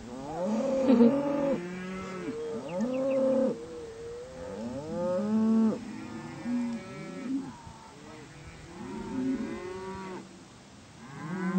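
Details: Cattle being driven to spring range, several moos overlapping in a herd, low harmonic bellows rising and falling, repeated roughly every two seconds.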